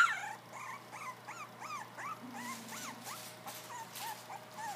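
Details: Three-week-old field-bred English Springer Spaniel puppies, just starting to play and bark, give a rapid series of thin, squeaky whines and yelps.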